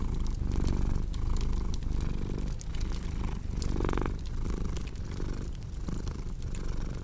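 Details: Low, throaty purr of a cat set against a crackling fireplace, the rumble rising and falling in regular breathing cycles while bright clicking pops of burning wood scatter across it.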